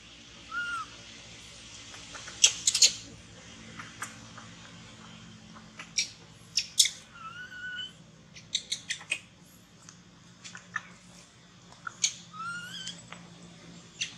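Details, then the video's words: A baby monkey being weaned by its mother cries to beg for milk: short, wavering, high squeals come at intervals, mixed with rustling, scratching and clicking handling noises. "Pityful baby monkey cry Reguest Milk"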